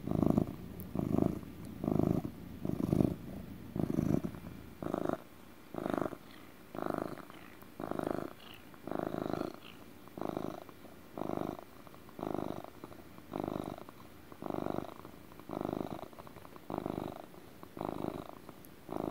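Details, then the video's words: Relaxed pet cat giving deep motor purrs indoors: a low, buzzing rumble rising and falling in regular pulses about once per second, the rhythm of breathing in and out, with faint room noise. "Relaxing purring (ASMR cat sounds)"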